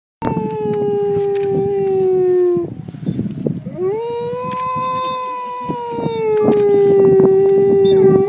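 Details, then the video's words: Two wolves at the UK Wolf Conservation Trust howl: long, smooth howls that slowly sag in pitch, then swell upward again. "Howling wolves"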